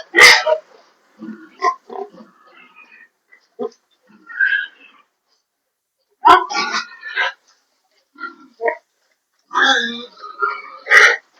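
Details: Domestic sow not coming into heat. Bursts of short, harsh grunts and oinks are spread through the recording, some loud and clipped, with sharp knocks and a few quieter murmurs, possibly human voice, between them.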